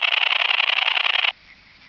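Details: Long-winged conehead (Conocephalus fuscus) song made audible through an ultrasound detector: a loud, rapidly pulsed buzzing burst lasting about a second and a quarter, stopping sharply into quiet hiss.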